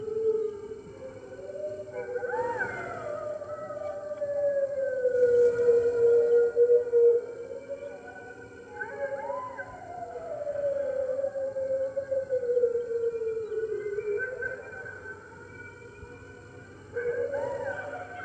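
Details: Red wolves at the NY Wolf Conservation Center, New York, joining the center's other wolves on the morning of March 15, 2013, captured by webcam: several overlapping drawn-out howls sliding up and down, swelling and fading in waves with steady low background hum.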